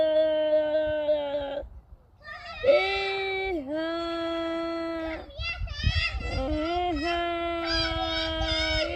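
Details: Goats on a farm bleating repeatedly in long, wavering, nasal calls of one to two seconds each. Some calls dip in pitch midway, and the bleats follow each other with only brief gaps.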